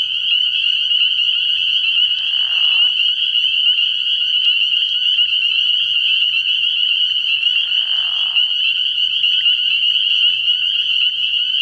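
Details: Shrill, nonstop chorus of spring peepers at a nighttime frog pond early in the year: dense overlapping high peeps, broken twice by brief softer, lower bursts and a faint low hum at the start.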